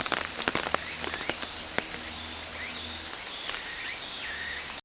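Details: Unwavering high cicada hiss running to the end, with a few sharp clicks early and short rising bird whistles near the close.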